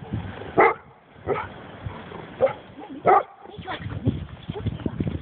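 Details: Scottish Deerhound puppies Edina and Coira, twelve weeks old, at a snowy dog park meeting a retriever; four sharp, separate barks spaced about a second apart over a background of human talk and rustling.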